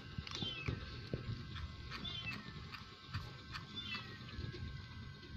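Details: Hungry kitten trying to steal cat food from a little kitten, giving three faint, high, curving meows spaced about two seconds apart over low rumbling background noise and scattered clicks.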